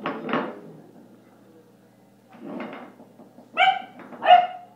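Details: A 10-week-old German Shepherd puppy, playing and fighting with an elk antler, lets out rough growly noises, then two clear, high, ringing barks close together.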